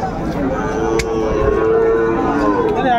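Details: Cattle at a market where bull calves are sold, 30 June 2024: a steady, drawn-out harmonic moo held for about two seconds beneath loud crowd chatter and people bargaining over prices.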